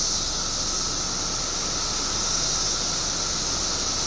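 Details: Short burst of a periodical cicada chorus in Illinois, part of a 17-year mass emergence of billions: a continuous shrill hiss and steady lower hum with no pauses.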